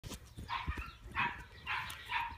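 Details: Three-month-old Chihuahua puppy barking while playing: four short, high yappy barks spaced about half a second apart, with light handling noise and a person speaking softly nearby.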